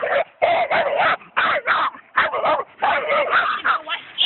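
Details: Several coonhounds on a raccoon give loud, harsh barks in rapid bursts, clustered with short gaps and a brief pause near the middle, the voices overlapping into a ragged chorus.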